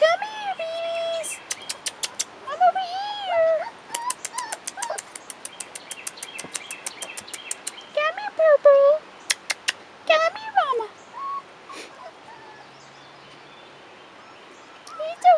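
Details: Rottweiler puppies, 4.5 weeks old and outside for the first time, give high tonal whines that rise and fall in arcs, scattered through the clip among sharp clicking ticks and short squeaks.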